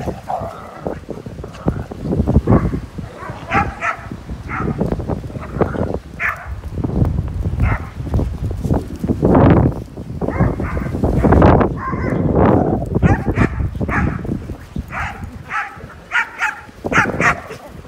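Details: Several of fourteen dogs playing together in snow, giving repeated short barks and higher yips that overlap at irregular intervals throughout, over a steady low rumbling background.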